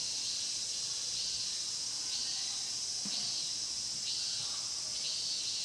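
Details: Chorus of cicadas in a pine grove at Mokgye, Cheongsong, captured with a Panasonic LUMIX GX9: a steady piercing hiss-like drone that swells slightly about once a second, with no other clear sounds.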